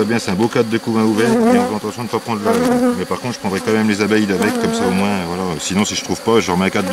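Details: Honey bees at a drone-laying hive under rescue on 3 May 2021, after a brood frame with nurse bees was moved in from a neighbouring, rather aggressive hive. Dense, continuous buzzing of several bees with pitch constantly sliding up and down.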